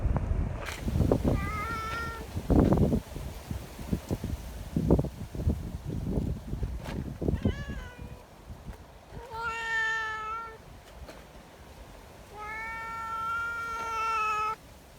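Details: Friendly community cats gather in strong wind, wanting to be petted. Several clear, drawn-out meows, some rising then falling, rise between loud gusts and rustling handling noise.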